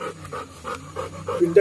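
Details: Panting Labrador Retriever, one of a pair of dogs eager for walks, gives soft breathy puffs about three times a second over a low hum, with a voice calling at the end.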